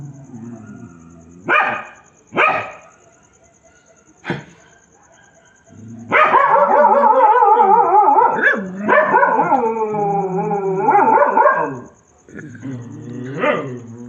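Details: Dogs crying at night: a few short barks come first, then from about six seconds a long, loud, quavering howl, joined by other voices, holds for roughly six seconds before fading, over a faint steady high hiss.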